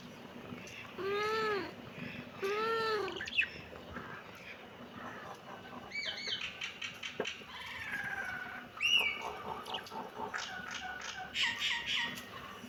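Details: Two arched, rising-then-falling kitten meows in quick succession, followed by a jumble of high, short chirps and clicks.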